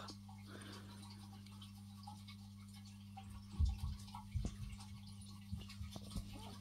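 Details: Indoor room with a steady low electrical hum, a few soft taps and knocks, faint dripping, and no animal voice.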